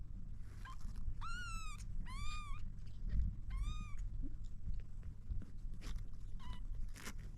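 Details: A kitten trying to drink milk gives three clear, drawn-out meows, each rising then falling slightly, with a couple of shorter, fainter mews before and after, over soft lapping and mouth clicks.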